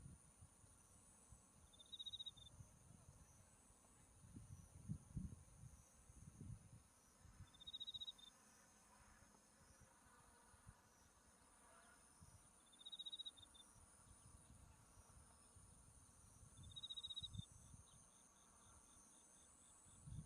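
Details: Insect voices of autumn in the countryside by a buckwheat field in bloom, Mount Tsukuba behind: brief high chirping bursts come about every five seconds above a thin continuous high trill, with intermittent low rumbling.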